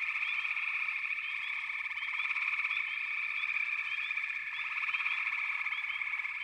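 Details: Unbroken frog chorus, a steady high buzzing trill of many voices blended together, with small chirping notes flicking in and out.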